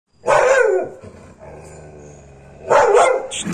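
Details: American Pit Bull Terrier barking aggressively: two loud, harsh barks with a gap between them, each about half a second long, separated by a quieter stretch of low rumbling.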